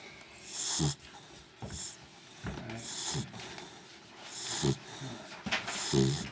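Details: Sleeping dog snoring; rhythmic rough, breathy snores roughly every one and a half seconds, each a hissy rasp with low snorty rumbles, in a quiet room.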